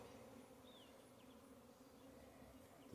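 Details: Western honey bees swarming near a hive area in April, with scouts investigating a nearby swarm trap baited with lemongrass oil, give a continuous, steady, even droning buzz; faint thin bird chirps sound in the background.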